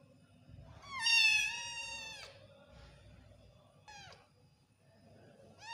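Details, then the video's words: Odd-eyed baby Persian cat meowing: one long, loud, bright meow lasting over a second and falling slightly at its close, then a short clipped mew, and a third meow beginning at the end, with faint low rumbling between calls. "Persian kitten meowing"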